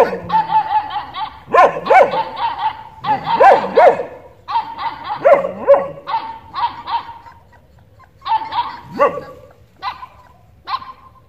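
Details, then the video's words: Dog barking in uneven bursts, with drawn-out, whiny tonal barks mixed with a few sharper yelps, separated by short pauses; a faint voice is also present. "dog barking sound effect"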